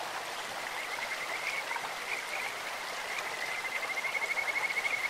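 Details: Rapid pulsed trills from Kajika frogs in a clear mountain stream, a sweet bird-like tone that swells and quickens toward the end, with constant flowing-water noise underneath.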